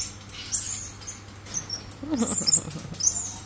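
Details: A one-year-old black-capped squirrel monkey gives thin, very high squeaks and chirps, scattered irregularly with a brief lower chattering burst near the end, against a quiet indoor background.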